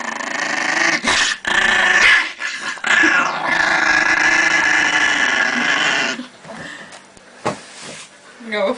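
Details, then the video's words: An aggressive Chihuahua growls while guarding pancakes indoors; a sustained, harsh rumbling growl fills most of the stretch, broken by short gaps, with people talking and laughing nearby. "Агрессивный Чихуахуа"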